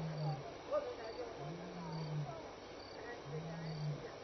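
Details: Lion contact calling at Elephant Plains Game Lodge, South Africa, between 6 and 7 PM on May 26, 2011. Deep, drawn-out moaning roars, about a second each, repeat over a steady background hiss of the night.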